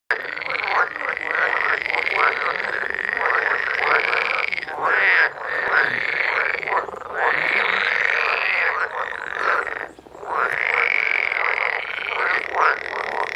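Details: A dense frog chorus at Store Høj Sø lake, Vestamager, Denmark: overlapping croaking calls swell in repeated waves with only brief lulls.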